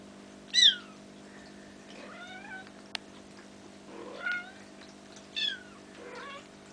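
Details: Playing Bengal kittens nearly five weeks old call with clear, high, sliding mews, a loud one first and then three more spaced about a second apart, plus a sharp click and low steady hum.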